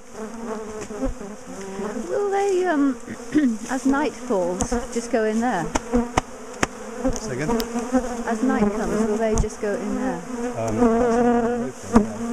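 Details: Disturbed colony of bees being split and moved out of a top bar hive: loud, wavering buzz with many rising and falling tones from bees flying past, and a few sharp taps.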